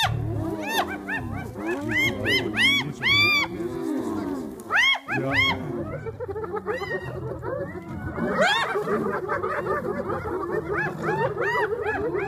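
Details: Spotted hyena clan moving in to drive lions off a buffalo carcass in Kruger National Park, South Africa; many overlapping arched, rising-and-falling whooping and yelping calls crowd together, with bursts of sharp high cries and a low rumbling background.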